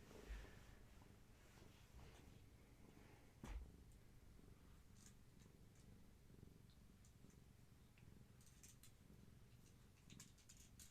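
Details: Kittens of Gaia, a long-haired tabby mother cat, during an evening of play and leg massages indoors. A steady, low rumbling purr runs throughout, with a brief knock near the middle and scattered soft clicks and rustles.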